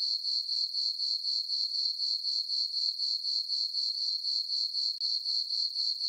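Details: Summer night chorus of crickets in a moonlit farm meadow, a bright, shrill chirping beating in a regular rhythm of roughly four pulses a second, with one very brief dip near the end and nothing else audible.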